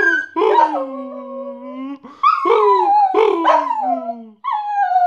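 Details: Pet dog Bosco sings as he gets the post, giving wavering, mid-pitched howls that rise briefly then sag into long drawn-out tones, three or four phrases back to back with barely a pause.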